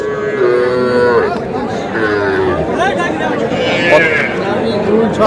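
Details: Young bull and heifer calves at a cattle market in Cumilla, Bangladesh, about three months old; a drawn-out low moo opens, then further lowing calls rise and fall beneath busy crowd chatter and bargaining voices.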